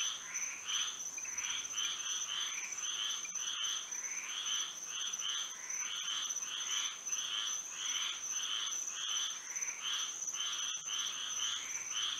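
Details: Frogs singing at night under moonlight in Florida: a dense chorus of raspy, pulsed calls overlapping in quick bursts, with a steady high-pitched drone running underneath throughout.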